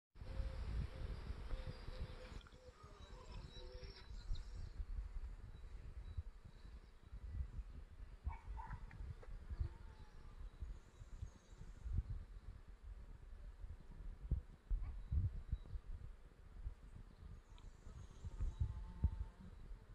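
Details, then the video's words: Bees working common barberry (Berberis vulgaris) flowers on 3 May 2018: a steady low buzzing with a faint humming tone early on, under rumbling low-pitched background noise and a few soft clicks. "Pszczoły na berberysie zwyczajnym"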